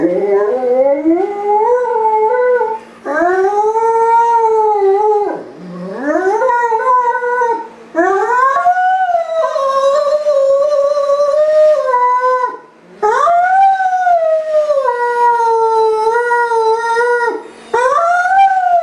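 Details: Great Dane howling while left home alone, missing its owner; long sustained howls with rising then level pitch, each lasting two to five seconds, separated by brief breaths, a faint steady hum underneath.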